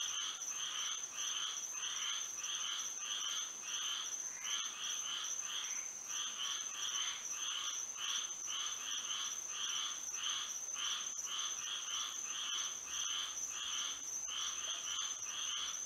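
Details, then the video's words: Frogs singing at night under moonlight in Florida: a dense chorus of pulsed, buzzy croaks repeated roughly twice a second, layered callers overlapping, with a steady high insect-like whine running throughout. "A frog symphony to sleep and relax to"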